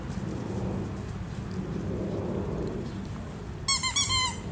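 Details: Foster pup Naples, rescued from a hoarding situation, barks while playing ball indoors; near the end a quick run of four high, squeaky, rising-falling yips sounds over steady low background rumble.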